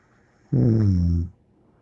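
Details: A single deep, buzzing snore from Bear the dog, lasting under a second, low-pitched and steady with a slight downward slide, in a quiet indoor room.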